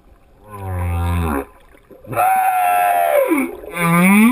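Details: Singing male humpback whale giving long mournful tonal units: a low droning moan, then a wavering cry sliding downward, and a swelling upswept whoop cut off at the end.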